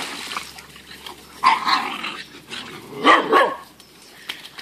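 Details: Ruby, an Irish Red Setter puppy, in her first paddling pool: two short, harsh bursts of barking a little over a second apart, with faint splashing and background noise between them.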